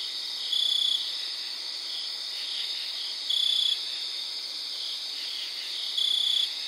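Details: A cricket gives short, steady high trills, about every three seconds, over a distant chorus of crickets and katydids, recorded outdoors around 3am on September 4th.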